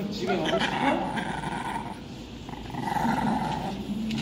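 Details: Pekingese dogs meeting another Pekingese at a dog cafe in winter; a low rumbling growl runs for nearly two seconds, pauses, then returns, under a woman's Korean speech throughout.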